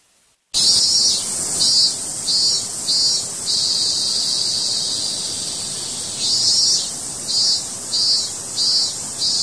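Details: Cicada crying: after a brief silence, a loud, steady high-pitched buzz starts, swelling into rhythmic pulses about twice a second in bursts, with a continuous shrill drone underneath.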